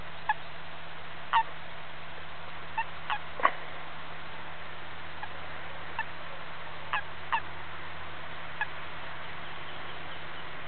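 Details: European common toad in the Macin Mountains of Romania giving its distress call: about eight brief, sharp squeaks spaced irregularly over ten seconds, faint against a steady low hum.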